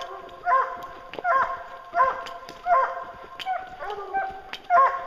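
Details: Bear hunting hounds baying at a tree, repeated bugling bays roughly every three quarters of a second, each rising then falling, with a few overlapping voices and faint clicks behind.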